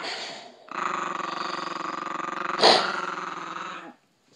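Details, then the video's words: Chihuahua protecting its female owner from a man, holding one long continuous buzzing growl for about three seconds, broken near the end by a single sharp snarl before fading out. "Chihuahua Protects His Momma"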